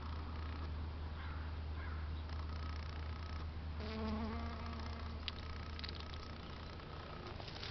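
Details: In San Diego, California, USA, a European honey bee visits flowers on a beautiful day, giving a brief wavering buzz with overtones lasting under a second, amid a steady low-pitched background hum.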